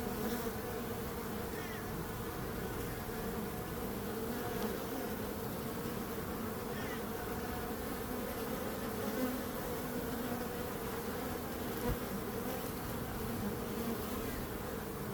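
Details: Long unbroken drone of buzzing bees, low and even throughout, without distinct individual calls or other sounds.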